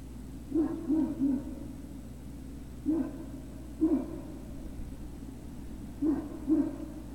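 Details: Soft, high puppy whimpers and yips from Great Dane puppies at Puppy Hill, 03-06-2019, afternoon. They come in short bursts of one to three notes, scattered across several seconds against constant low background hum.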